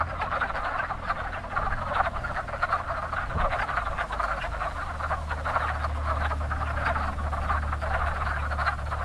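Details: Very active spring pond where wood frogs breed, dozens of rough quacking croaks overlapping into a continuous chorus, over a constant low rumble in the background.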